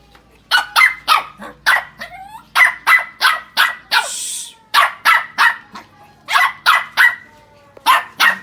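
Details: Shih Tzu puppy barking steadily in rapid bursts, about three barks a second with short pauses, sharp and mid-pitched; a brief noisy rustle midway and a faint whine near the start.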